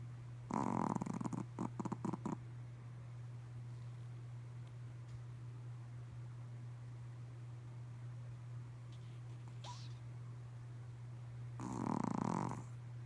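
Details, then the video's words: Pomeranian Lillie snoring during a midday nap: two rough, breathy snore bursts, one early lasting nearly two seconds and another near the end, separated by a long quiet stretch over a steady low electrical hum. "Snoring Pomeranian"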